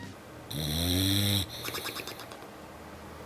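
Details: An English Bulldog, a calm breed that rarely barks, gives a deep, rattling snore-like grunt lasting about a second.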